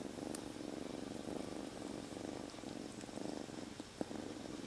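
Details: Kitten rescued from the street three days earlier, purring nonstop inside a jacket; continuous low pulsing purr with a rhythmic rise and fall of each breath, one soft click near the end.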